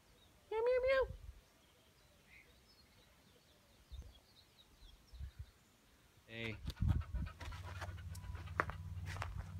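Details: A female German Shorthaired Pointer, who jumps up a tree to reach a cat or its food, gives a brief, high, rising yelp, then a second shorter cry.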